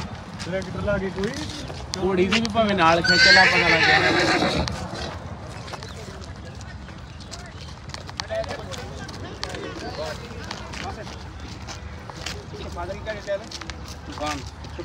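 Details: Horse at a market where a mare and her filly are brought for covering: a high, trembling whinny amid talking men and clip-clopping hooves, followed by steady crowd murmur.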